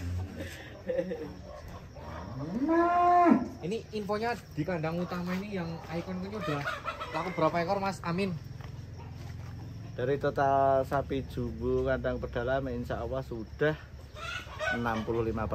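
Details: Giant cow of nearly one tonne being unloaded from a truck: one drawn-out, rising then falling low moo near three seconds, with men talking almost continuously around it and a few fainter lowing sounds later.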